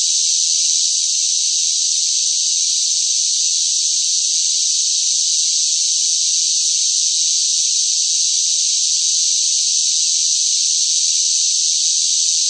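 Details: Loud cicadas singing in hot summer heat: a dense, unbroken high-pitched buzzing drone that holds steady in pitch and volume throughout, with no other sounds.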